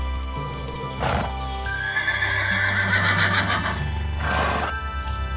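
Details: Farm horse whinnying twice, a shaky, wavering neigh near the start and another near the end, both set over steady relaxing background music.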